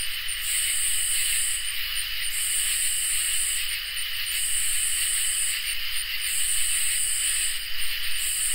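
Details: Summer night chorus of crickets and katydids, with a constant high-pitched trilling hum beneath repeated rasping buzz bursts lasting over a second, separated by brief breaks, steady and even in loudness throughout.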